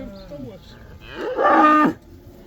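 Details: One loud, drawn-out moo from a cow heading back into pasture in the Netherlands during the springtime 'cow dance' (koeiendans), rising to a strong harmonic bellow of about a second, with a fainter moo just before it.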